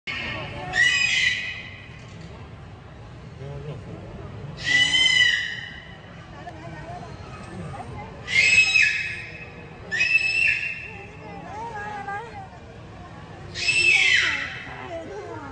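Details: A beluga whale playing with its toys gives five loud squealing bursts, each about a second long, with bright stacked harmonic tones and a short whistle inside. They come every three to four seconds over a low murmuring background.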